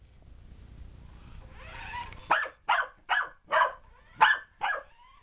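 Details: Puppy Alphie, chasing a remote control car, lets out a rapid series of six sharp barks after a stretch of soft rumbling background noise.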